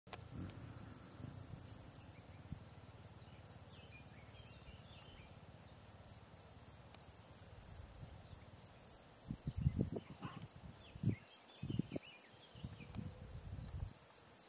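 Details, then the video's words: Field cricket (Gryllus campestris) singing at the ponds of the Draga valley on 18 June 2023. Steady train of bright, high chirps, with a fainter, even higher insect trill above. Low rumbling thumps and handling noise come through in the second half. "Gryllus campestris POLJSKI MUREN"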